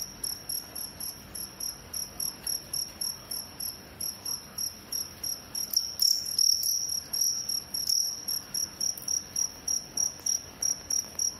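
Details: Crickets in a fight, producing regular high-pitched chirp pulses at about three and a half a second, louder and blurred around the middle as the insects scuffle.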